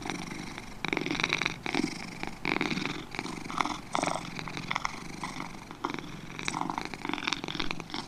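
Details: Two domestic cats purring, a rasping rumble rising and falling in breath cycles about every second, with occasional louder, brighter exhalation bursts.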